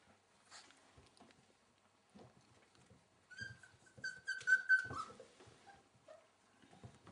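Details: Welsh Springer Spaniel puppies, 4.5 weeks old, playing indoors; a puppy gives a drawn-out, high whining yelp with bright harmonics in the middle, framed by soft squeaks and scuffling, with a human voice nearby.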